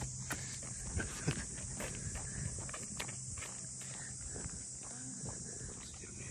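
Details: Cicadas droning along the waterfront at Ine no Funaya, the traditional port-house townscape north of Kyoto, Japan: a steady, unbroken high buzz carries over footsteps on the street and brief bits of talk.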